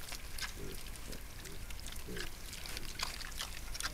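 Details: Wild boar sow with her piglets in a Sologne forest, France, caught by a trail camera; soft low grunts come at 0.6, 1.1, 1.5 and 2.1 seconds, then rustling and crackling of leaves fills the rest.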